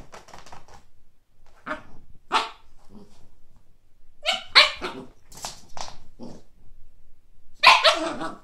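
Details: Kake, a Siberian Husky puppy facing a frisbee for the first time, gives scattered hoarse barks, a burst of three in the middle and a final loud one near the end, mixed with softer growly sounds.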